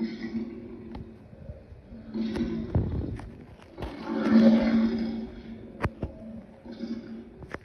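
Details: Lion giving rough, breathy roaring bursts: a low growl near three seconds, then a louder drawn-out roar lasting about a second, with shorter rasps after, over a steady low droning hum.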